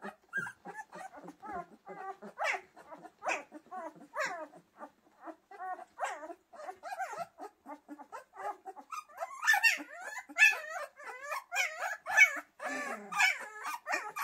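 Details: Pyrenean Mountain Dog puppies indoors keep up a busy chorus of overlapping whines, yelps and squeaky barks, short wavering calls tumbling one after another and growing louder and shriller toward the end.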